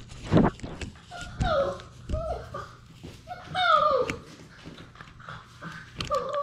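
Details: Six-week-old Labrador Retriever puppies from a litter of six, playing together in an indoor romper room. High, whiny yelps slide downward in pitch, coming in short bursts, mixed with people talking nearby.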